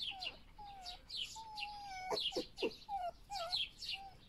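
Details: Foxes Vasilisa and Foxie feeding each other, giving thin, drawn-out tonal whines, some level and some wavering, broken by short sharp squeaks, while small birds chirp brightly in the background.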